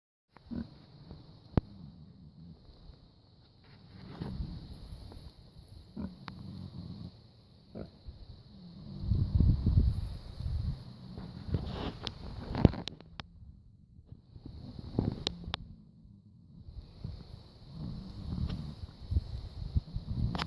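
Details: Male Red Wattle pigs asleep, snoring in low, rough rumbling bouts every few seconds, swelling and fading with quiet gaps between; a faint steady hum runs in the background.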